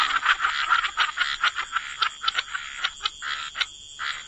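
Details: Rapid series of short croaks from frogs at the water's edge, quick pulses roughly three to four per second, fading toward the end, over a thin continuous high hum.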